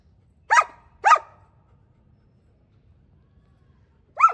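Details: German Shepherd dog kept indoors at home, giving two sharp barks about half a second apart, then a pause of nearly three seconds before a third bark, with a quiet background.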